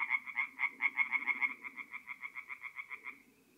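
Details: Tree frog singing at night at a forest pond in North-East Italy, mid-April: a clear series of about twenty rapid, evenly spaced nasal croaks, fading out after three seconds, with a faint chorus behind.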